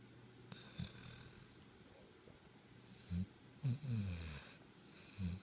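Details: Harper, a sleeping dog lying with his tongue out, snores indoors on 11.5.2013: low rumbling snorts at about three and four seconds, with a few fainter breaths between them and a soft hiss in the background.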